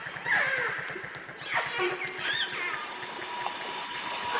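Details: Northern resident killer whales (Orcinus orca) near Telegraph Cove give rising and falling squealing calls and bursts of echolocation clicks over the pulsing drone of a large passing vessel.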